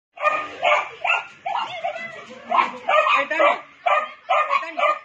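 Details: Labrador Retriever puppies at a Punjab-breed kennel, giving short high yapping barks in quick irregular bursts about twice a second, with some overlapping squeals and a person's voice nearby.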